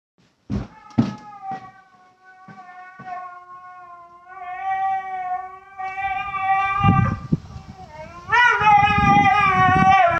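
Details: Dog screaming: a few sharp taps open, then drawn-out wailing cries with rich harmonics, held for seconds, rising in pitch and growing louder and harsher toward the end.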